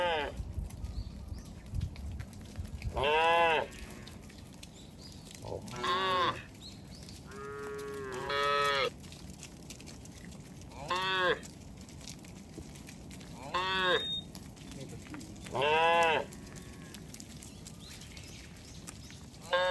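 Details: Cattle in a herd wandering on a road, about seven separate moos spaced a few seconds apart, some short and falling, others longer and wavering, with faint background rumble between calls.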